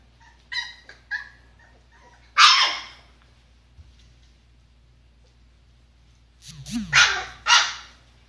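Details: A litter of 23-day-old golden retriever puppies. Brief wavering whimpers are followed by a loud rasping yelp, then a pause, then a rapid pair of harsh bark-like yips. A low rising sound sits beneath the final burst.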